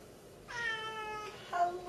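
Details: Talking Siamese cat indoors in snowy weather, in a stubborn mood. It gives a clear, drawn-out, richly harmonic meow lasting nearly a second, then a shorter, higher chirping meow after a brief pause. Room is otherwise quiet.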